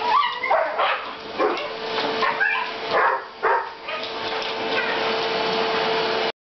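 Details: Welsh Terrier barking at a vacuum cleaner as its floor attachment moves across the floor: four or five loud, high yelping barks in the first three seconds, then only the vacuum's steady drone.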